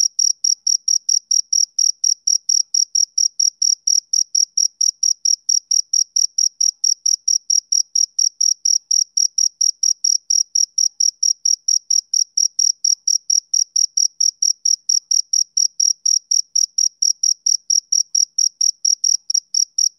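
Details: Male cricket chirping on a summer evening: high, clean pulses repeated about twice a second in a steady, unbroken rhythm, with a fainter higher overtone above each chirp and no other sounds.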